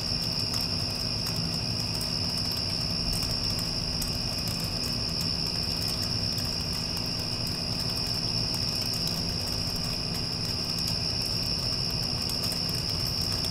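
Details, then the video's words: Insistent high cricket trilling, unvarying for over ten seconds, after a storm has moved through. The constant low drone of an air conditioner sits beneath, and intermittent brief clicks are sprinkled across it. "Cricket Sounds with Air Conditioner (After Passing Storm)"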